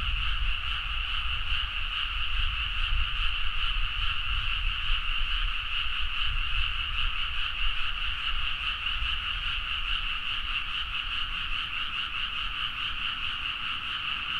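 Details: Many frogs calling together at midnight in rice paddies of Nagaoka, Niigata, Japan, Zoom H4n recording: a constant, evenly dense chorus of rapid rattling croaks with faint low background rumble.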